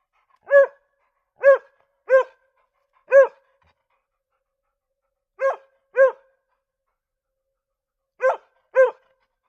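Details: Two mixed-breed dogs barking: eight clear, ringing barks, some single and some in quick pairs, separated by silent pauses of one to two seconds.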